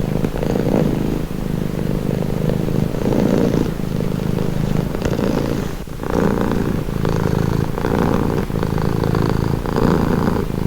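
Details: Cat's calming purr, a deep vibrating rumble that rises and falls in breath cycles lasting a second or two, with short quieter gaps between, heard up close.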